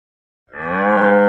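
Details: Cattle moo starting after a brief silence and building in loudness, a deep harmonic bellow cut off while still sounding.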